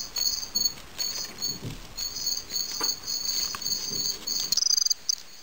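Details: Fall field cricket (Gryllus pennsylvanicus) fighting; short bursts of high pulsed chirping broken by soft scuffling taps and thumps, ending with a quick rattling trill.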